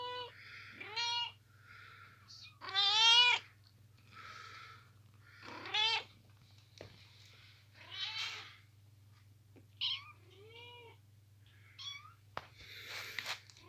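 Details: Kittens sleeping in a boot mew repeatedly in a small room, high thin calls with some stronger wavering ones spaced every couple of seconds, the loudest around the third second.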